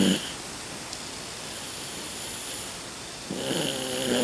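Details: Sleeping breath of Rocky, an elderly Toy Poodle aged 16 indoors, louder as he ages: a raspy, buzzing snore fades at the start, quiet hiss follows, then another drawn-out snoring breath rises near the end.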